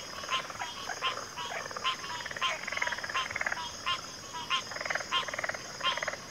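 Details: Frog chorus of several callers trading short pulsed, rattling croaks, each burst under a second long and repeated roughly every half second, overlapping one another against a constant high background hiss.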